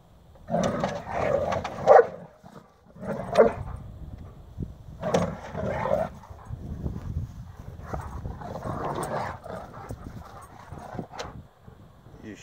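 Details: Bernese Mountain Dogs playing in a culvert pipe: a series of loud, rough bark-like bursts with a hollow, echoing quality, coming in clusters about every one to two seconds, while a person calls encouragement.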